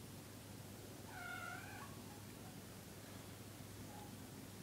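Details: Lazy cats Orangie, Gerbil and Sansli lounging on a sofa and bathing each other; one gives a single soft, clear meow lasting under a second, slightly rising then falling, over a steady low hum and room hiss.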